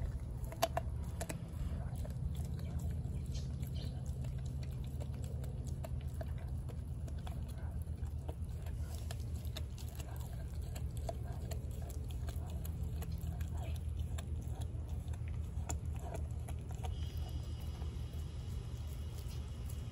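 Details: A 4-month-old American Blue Bay Shepherd named Denali gnawing her raw turkey neck. Soft, uneven crunching and biting clicks continue throughout, with a constant low droning hum beneath.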